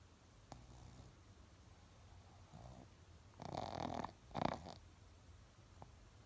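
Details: Laimos, a Shih Tzu dog, snoring indoors: two rough, breathy snorts in quick succession with a raspy buzzing texture, followed by quiet background hiss and a faint click.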